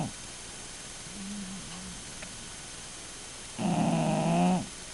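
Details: A bulldog snoring, with faint low murmurs during a quiet stretch before a single loud, rough, buzzing snore near the end, followed by a sharp click.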